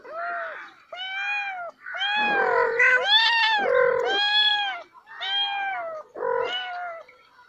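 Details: Cat and kittens giving a rapid series of overlapping meows, about seven calls in seven seconds, each arched in pitch, some harsh and strained, others clear and tonal.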